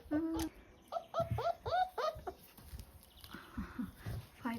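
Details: German Shepherd puppies, 28 days old, giving a rapid burst of short, arching whimpers and yelps, several in quick succession, while a person talks nearby.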